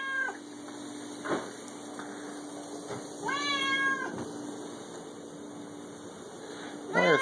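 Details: A six-year-old male Siamese cat meows indoors, apparently wanting food: three separate harmonic meows, one faint and two clearer, spaced a few seconds apart, over a steady background hum.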